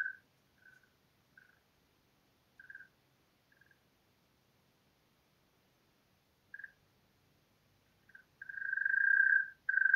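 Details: European mole cricket, Pabing, Austria, late May 2021: several short scattered purring bursts separated by silences, then a loud continuous churring trill begins near the end.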